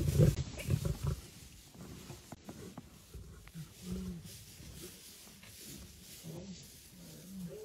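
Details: Lioness rushing to save her sister; deep low grunts and moaning calls come in short bursts, louder and rougher at first, then softer groans repeating every second or two over faint background noise.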